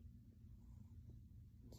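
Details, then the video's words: Brief stretch of a silver grey male cat's purr as he kneads on his owner's lap, a steady deep pulsing rumble with a faint rustle at the end. "Kitty purrs and kneading on mom lap gives kisses"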